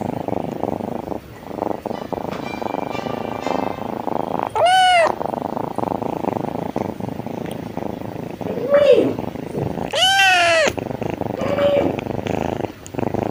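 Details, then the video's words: Continuous low purring from a happy kitten, broken by three clear meows: two long arching cries and a short squeak, with soft rustling between. "Purring shows that the kitten is very happy / purring sound of kitten / purring cat sound"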